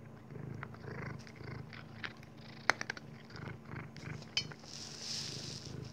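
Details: Dexter, a Maine Coon cat, purring while munching kibbles indoors; low rhythmic purr pulses run beneath sharp crunchy clicks of chewed kibble, with a soft hissy rustle near the end.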